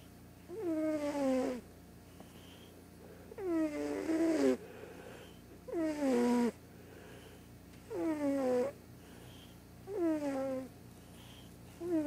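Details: Loud morning snoring from a large, deaf white cat asleep: six harmonic, downward-gliding breaths arriving roughly every two seconds, each about a second long, over a quiet indoor background.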